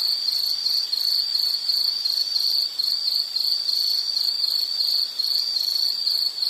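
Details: High, ringing insect trill in a nature sound piece, continuous and beaded with quick regular pulses, with a couple of short softer moments and nothing else audible.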